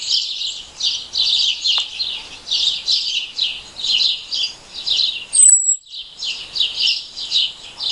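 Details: An unidentified insect calls in the daytime, a very high, unmodulated, saw-like note. It comes as buzzy high pulses about twice per second, with one short descending whistle near the middle.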